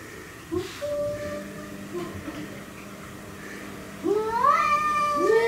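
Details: Cats squaring off against an intruder, quiet murmuring and soft low moans at first, then two loud rising-and-falling yowls near the end.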